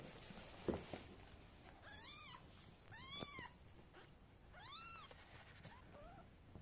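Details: A mother cat carries her kittens to bed in her mouth; three clear arched meows about a second and a half apart, a faint short mew near the end, with occasional clicks and bumps.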